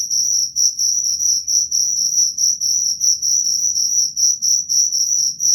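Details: Shrill cricket chirps, high and metallic, repeated in quick even pulses of about four per second without pause; faint low-frequency hum beneath.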